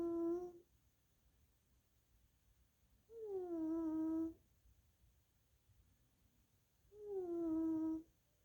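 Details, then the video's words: Little Missy, a sleeping tuxedo mother cat, snores while napping indoors. The snore carries a wheeze left over from past sinusitis and bronchitis: tonal, hummed whistles lasting about a second, repeating every three to four seconds, with quiet gaps between. "60 SECONDS SNORING TUXEDO"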